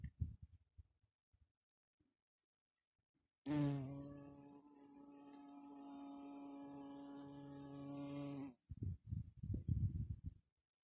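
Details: A red-tailed bumblebee (Bombus lapidarius) gives a steady, low, droning buzz lasting about five seconds.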